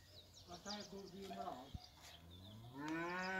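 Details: Cattle at a livestock farm called La Paloma mooing: low harmonic lowing calls, one near the start and a long, louder rising moo in the final second, with faint voices nearby.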